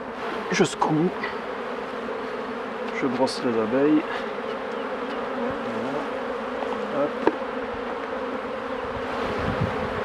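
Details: Steady droning hum of honey bees at hives under a beekeeper's care, the buzz filling the recording while a man's voice speaks briefly in the first half and fades out later.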